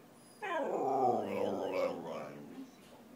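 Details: Whippet asking for food out of hunger, letting out a single wavering, talking-like howl of roughly two seconds that starts high, wobbles, and fades into a low groan.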